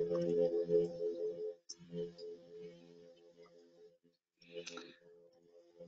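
A plainfin midshipman gives a steady, droning hum, a low buzzy tone like a distant engine.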